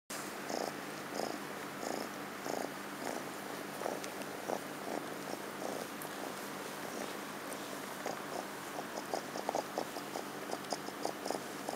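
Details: Orion, a rescued kitten up for adoption, purring in front of the camera indoors; soft throbbing pulses repeat steadily about every half second, quickening toward the end, with faint clicks above.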